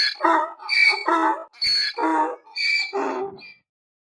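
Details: Brief donkey bray: a few alternating shrill and rasping notes, high squeal then deep honk, fading out into silence after about three and a half seconds.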